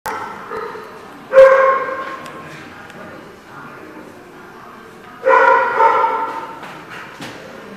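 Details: Dog barking, two loud, drawn-out barks with harmonics about four seconds apart, the first near 1.3 seconds and the second near 5.3 seconds, over a low steady background hum with a few faint clicks.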